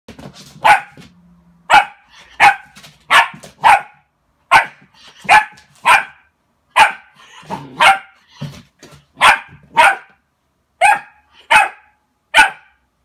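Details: Border Collie barking at its own reflection in a mirror, indoors: a long run of about seventeen sharp, loud barks, evenly spaced under a second apart, with a brief low rumble between the early ones.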